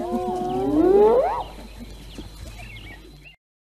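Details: Fighting hyenas; a wavering, upward-sweeping squealing whoop in the first second and a half, then quieter scattered yelps before the sound cuts off.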